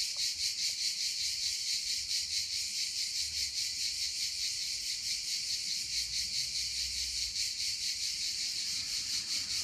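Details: Cicadas sing at 1 a.m. on 22 July 2015 in a steady, high-pitched, hissing buzz that pulses softly without pause.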